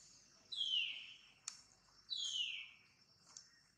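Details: Pregnant mother monkey Jane gives two high, piercing squeals, each sliding downward and lasting about a second, spaced roughly a second and a half apart, with faint clicks between them and quiet background.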